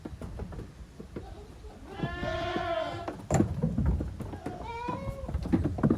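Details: Young goats romping in an exercise yard on a goat farm, 30 April 2023: one drawn-out quavering bleat, then a shorter one, amid thuds, scrapes and trampling hooves.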